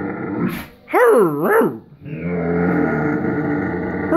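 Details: Irish Wolfhound wanting to play but not standing up, giving a short yelp then a wavering, up-and-down howling grumble followed by a long steady moaning tone, indoors and otherwise quiet.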